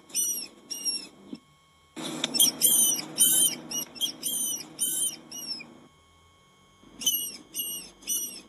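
A rat squeaks in rapid, uneven bursts of thin, piercing chirps, each short and slightly falling. A low rumbling background noise runs beneath the calls.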